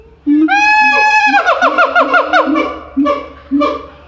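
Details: Siamang calling at Itozu no Mori zoo in Kitakyushu, Japan, recorded in January: a loud, rising series of booming and wavering hoots speeding into rapid cries, with rough barks near the end.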